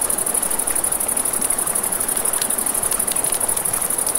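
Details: High, fast-pulsed cricket chirping fills a riverside night, even and continuous, joined by sharp crackles from a campfire and a gentle background murmur of the river.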